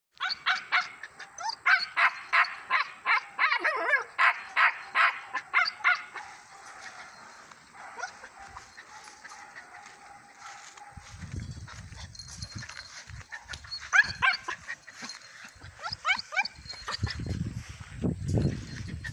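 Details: Dark sable German Shepherd pup barking: a rapid run of high, sharp yaps at about three a second for six seconds, then quieter scattered yelps with rustling and low thumping sounds.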